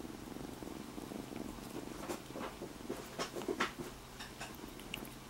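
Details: Freshly rescued domestic kitten resting on a person's belly, giving a continuous low, throbbing purr, interrupted by soft clicks and rustles from movement.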